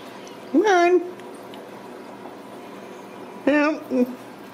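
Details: Ragdoll kitten at a home cattery in central Kansas, raised without cages: two clear, high, rising-then-falling meows about three seconds apart, the second followed by a short third mew, over a steady low room hum.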